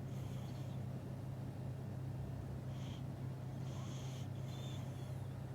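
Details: Dozing cat snores softly, believed to be dreaming of eating: short breathy, whistling puffs come in an uneven series against a steady low-pitched background hum in a room.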